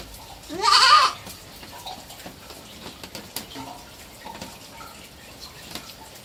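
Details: Three-month-old pet goat kid giving a single loud, harmonically rich bleat lasting about half a second, rising then wavering, near the start; afterwards only faint scattered clicks and low background hiss.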